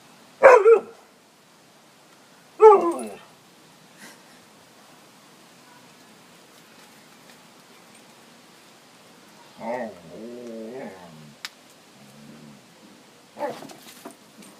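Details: Excited dogs playing indoors before a walk: two sharp isolated barks a couple of seconds apart, a long quiet stretch, then a wobbling growly grumble and one more bark near the end.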